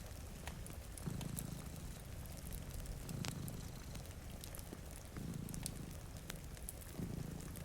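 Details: Purring from two cats sleeping before a rainy window: a low, rumbling purr that swells in bursts about every two seconds, layered with crackling fireplace pops and a steady hiss of rain.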